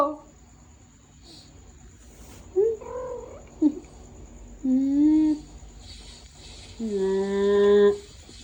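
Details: Persian cat talking back to its owner in a string of meows: a short bent call, a brief chirp, then two longer, steadier meows, the last lasting about a second, with soft faint sounds in the gaps.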